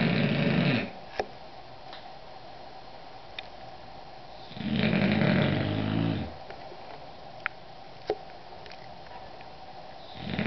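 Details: An English Bulldog snores in long, rumbling breaths roughly every five seconds while taking an afternoon nap.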